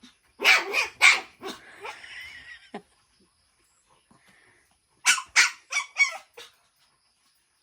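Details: Shih Tzu x Pomeranian barking during a first meeting with another dog: a burst of shrill yaps, a drawn-out whine, silence, then another rapid string of four or five high yips.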